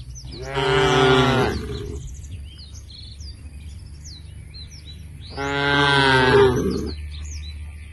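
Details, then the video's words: A herd of tame cows walking towards a field at the forest edge; two long, deep moos with rich harmonics, each about one and a half seconds, separated by a quiet gap, with faint chirping birds in the background. "A herd of tame cows is walking towards the field at the edge of the forest, the sound of the cows"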